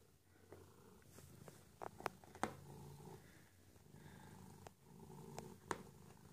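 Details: Domestic pet cat purring in a small room: a soft, low vibrating hum rising and falling with each breath, interrupted by several sharp taps and clicks.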